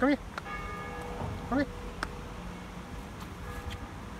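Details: An 11-month-old male Samoyed that loves to "sing" gives two short, arching howls, each rising and falling, over a faint steady tone.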